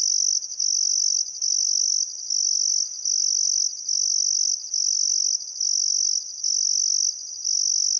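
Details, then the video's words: Australian crickets at a river in Outback Queensland's Welford National Park on a calm summer evening, shrilling steadily in high, even pulses of about a second, separated by quick breaks, the trill dominating everything else. "Australian Sunset Chirping Crickets"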